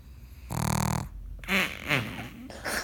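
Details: Sleeping female pug snoring indoors: one rattling, pulsed snore of about half a second, then a short pause and a few higher, wavering nasal sounds.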